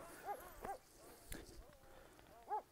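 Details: Kangal shepherd dog named Zalim, stranded on rocks: three short, high whining yelps with bent, rising-falling tones, two close together at the start and one near the end, over quiet outdoor background with faint rustling.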